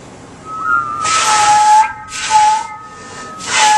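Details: A walrus gives a powerful, steady, pure whistle, held level and repeated between loud breathy hissing bursts.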